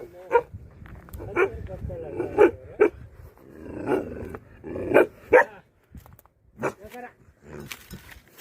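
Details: Guardian dogs protecting a buffalo shed give single sharp barks spaced a second or more apart, while people talk in the background between the barks.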